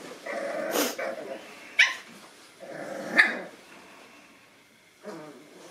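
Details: Nine-week-old Boston Terrier puppies meeting a new toy give brief, raspy yips and low grumbling growls in scattered bursts, broken by sharp, high squeaks from the toy.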